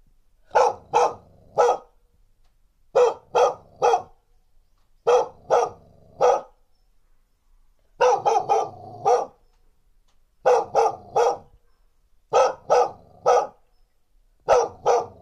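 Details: Female dog barking in threat, field recording on a TASCAM DR1 with windscreen; barks come in quick bursts of two to four, roughly every two seconds, about two dozen barks against a quiet background.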